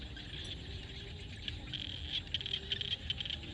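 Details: In a Cambodian field at sunset, frogs keep up a busy high-pitched chorus, rapid clicking pulses growing louder in the second half, set against a constant low murmur.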